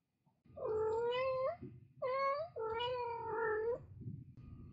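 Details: Domestic cat, a mother with her kittens, giving three drawn-out meows, each a clear tonal wail with a rising start and a slightly falling end, the last and longest sliding downward; quiet indoor room background.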